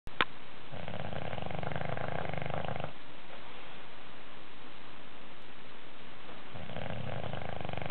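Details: An English Bulldog snores in long, rumbling, low breaths with a quiet pause between them while taking a nap.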